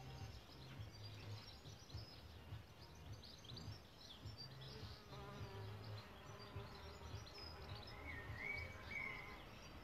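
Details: Deep pulsing hum from solitary bees nesting in a bug hotel, rising and falling in short bursts, with thin bird chirps and a brief whistled phrase in the background.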